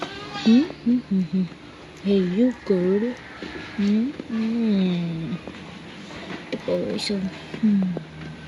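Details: Pet goats bleating in short, wavering, quavering calls, several falling in pitch toward the end, spaced irregularly over several seconds, with people talking and background music.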